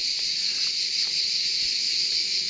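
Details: Cicadas sing loudly in a steady, high-pitched, unbroken buzz on France's Atlantic coast, heard while cycling.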